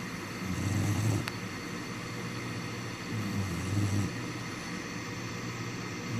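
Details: Remi, a sleeping black Labrador Retriever puppy, snoring like a grown man: two low, rumbling, drawn-out snores about three seconds apart over a steady background hiss.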